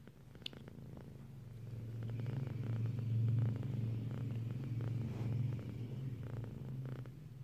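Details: A female pet cat purring as she dozes off, a steady low rumble that swells and fades with each breath, rising loudest midway, with one sharp click near the start.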